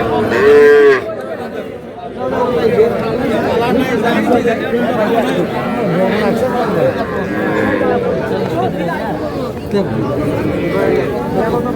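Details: At a Dhaka cattle market on 4 February 2026, small bull and heifer calves are being bought; one short, high-pitched moo opens the clip before busy bargaining talk and crowd noise take over.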